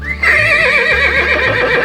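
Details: Horse neighing: a loud, tremulous whinny with a wavering, quavering pitch that slowly falls, heard over steady background music.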